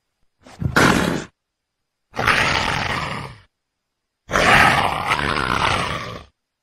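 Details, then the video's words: Leopard giving three separate harsh, breathy roars, each lasting about one to two seconds, with short silences between them. "LEOPARDO RUGINDO - SOM DO LEOPARDO - BARULHO DO LEOPARDO"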